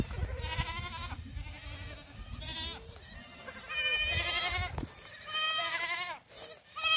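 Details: Young black goats on a farm in Gimhae, South Korea, recorded 22 July 2008 while running about; several overlapping wavering bleats, some rising and falling, with rustling and low rumbling in between.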